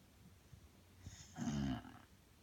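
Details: Belle the Bulldog, exhausted and asleep, lets out a single deep rattling snore of about half a second after quiet breathing. A low steady hum runs underneath.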